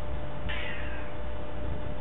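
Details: A domestic cat meowing while its owner talks to it; a single short meow with a bright, slightly falling tone, over a steady low hum.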